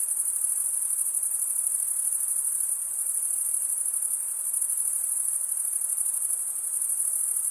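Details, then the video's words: Crickets chirping, males stridulating by running one wing's toothed vein across the other: a dense, unbroken high shimmering trill that holds steady throughout, with faint softer hiss lower down and no other sounds. "cricket sound"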